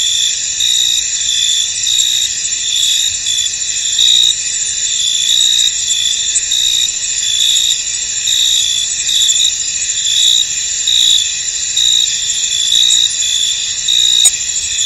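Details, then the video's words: Chorus of crickets in a foggy field: a constant shrill hiss of many insects, overlaid by short pulsing trills repeating irregularly throughout, with a faint click near the end. "Tranquil Cricket Sounds In An Misty Field"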